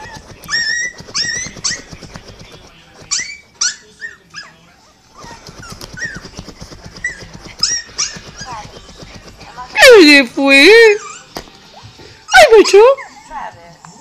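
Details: A pet dog cries in response to another dog crying: high whistled whines and yelps in short repeated bursts early on, then loud wavering howl-like cries near the end, with background whimpers from a playing recording.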